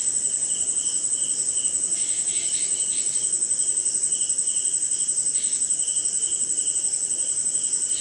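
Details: Crickets calling on a rainy night somewhere in India: a constant piercing high-pitched trill with a second, lower pulsing chirp series, briefly thickened by a burst of extra insect buzzing mid-clip, rain hiss underneath.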